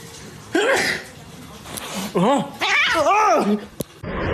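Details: Domestic cat indoors giving three drawn-out meows, each arching up and then falling in pitch, the last and longest lasting nearly a second, with a person's speech and small room noises around them.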